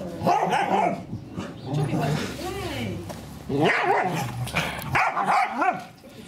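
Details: Daisy, an English Springer Spaniel, vocalizes while trying to get her son and daughter to play with her: rising-and-falling whiny barks and yelps, with a person talking loudly about getting the ball throughout.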